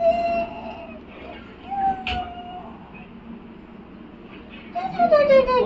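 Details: Pug being tickled, reacting with drawn-out, falling, whistle-like whines at the start, near two seconds, and again at the end, separated by quieter stretches of soft indoor background.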